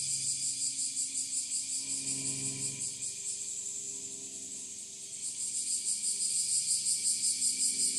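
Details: Bear cicadas in full chorus on a summer morning in northern Kyushu, Japan, 26 July 2023, just after the rainy season ended, heard from a little distance: dense, pulsing high buzz throbbing steadily, with a faint low hum beneath.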